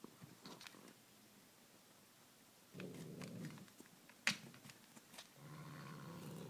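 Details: Male domestic cat playing indoors with a small white toy mouse, a belated Christmas present, after catnip drops; two short low rumbling growls, the second longer, between scattered taps, clatter and one sharp knock.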